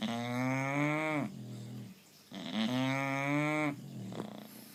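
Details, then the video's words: Sonny, a bulldog said to have been listening to cows, snores in two long harmonic rumbles, each lasting over a second with a short gap between, sounding moo-like and nasal, followed by a fainter breath. "Bulldog Sonny Snores like a Cow"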